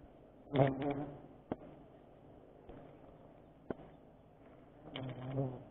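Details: Giant honey bees (Apis dorsata, locally tawon gong) during a sustainable honey harvest: a low, steady droning hum with layered overtones, broken by sharp clicks and a few louder buzzing bursts near the start and end.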